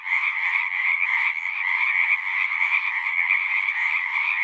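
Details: Dense natural chorus of singing frogs, an even, unbroken mass of high trilling croaks with no pauses and no other sounds.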